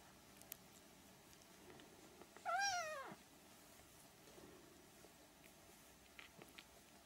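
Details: Siamese kitten, three weeks old, gives a single thin meow of about half a second, its pitch bowing up and down, then quiet shuffling and light clicks indoors.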